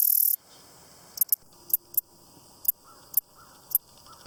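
A grasshopper gives sharp, dry clicks at irregular intervals, some in quick pairs.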